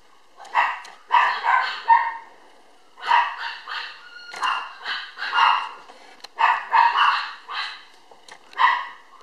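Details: Chloe, a black female toy poodle puppy born July 22, from a Kyoto breeder, gives high, sharp yapping barks in quick bursts of three or four, with short pauses between the bursts and a quiet room behind.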